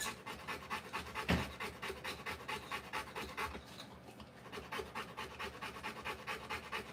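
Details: Rapid panting from a Rottweiler in labour, delivering puppies in a dark room. Quick breathy bursts come roughly twice per second, briefly uneven near the start and fading for a moment midway before resuming.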